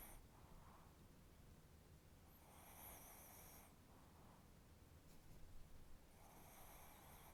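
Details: Chihuahua asleep with a twitching face, giving rough buzzy snores: a short one at the start, a long rasp in the middle, then another as it trails off, with faint breathing between.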